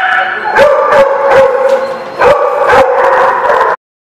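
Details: Dogs recorded on 29 February 2016: a steady, mid-pitched howl-like tone with strong harmonics runs throughout, punctuated by sharp barks about every half second, cutting off abruptly just before four seconds.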